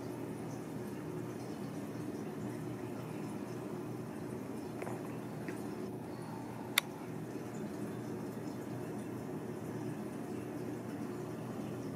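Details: Quiet indoor room hum with a single sharp click and no animal sounds.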